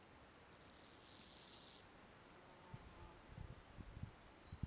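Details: Omocestus raymondi grasshopper at Puerto de las Palomas, Grazalema, Spain, on 15 May 2014, calling song and courtship: one hissing, very high buzzy burst lasting about a second and a quarter, followed by quiet with a few low thumps.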